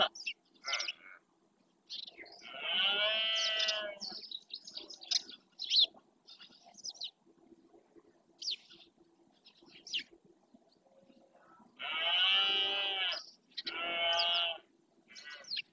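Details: Red deer stag roaring during the rut (berrea) in the marshes of Doñana National Park, Spain, claiming territory: two long hoarse, harmonic roars, the second followed by a shorter one, with chirping birds between them.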